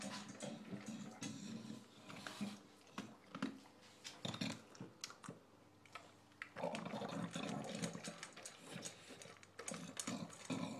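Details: Indoors at dinner, the English bulldog Shaft gulps and chomps loudly, producing sloppy smacks and throaty snuffles, with a dense stretch of continuous wet chewing in the second half.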